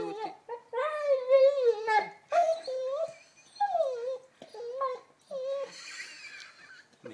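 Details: Lenny, an 11-month-old Labrador Retriever playing with a new ball, whines in long, wavering, harmonic-rich tones that rise and fall, broken into several drawn-out cries while a woman talks to him in Croatian.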